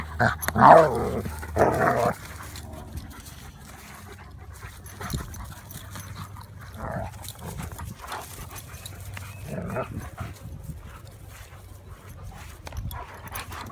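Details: Play fight by the garden between Odin, a German Shepherd, and Remington, a Labrador: one short, loud snarling flurry at the start, then a long quiet stretch of soft rustling and faint, scattered growls.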